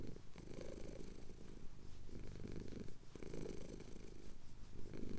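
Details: Chin-scratched male cat purring during a Cotswold hills sunrise, Tascam DR-07X recorder; low vibrating purr swelling and fading in breath-length phases roughly each second, quiet and close.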